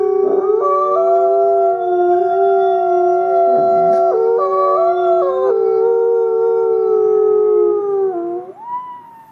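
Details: Wolves howling together, several long steady tones overlapping at different pitches, some voices stepping up or down in pitch mid-howl, ending with one voice sliding sharply upward.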